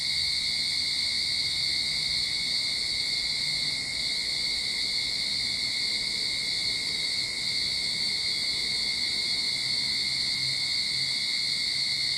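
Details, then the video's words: Backyard cicadas in Sydney at the onset of summer produce a sustained piercing buzz with two steady high bands, unchanging in rhythm, while a faint low hum sits far underneath. "Cicada Sound to Calm your Mind"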